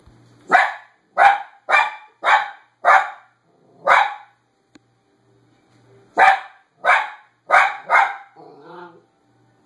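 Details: Female pet dog that barks at every person she sees outside. Loud, sharp barks come in two bursts, six and then four, about half a second apart, followed by a faint low murmur.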